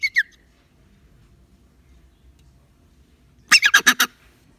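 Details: Frightened rock hyrax (dassie) held in a container before release with others, complaining after a scare: a short doubled squeak opens, then after a quiet gap a loud, rasping run of five rapid pulsed notes.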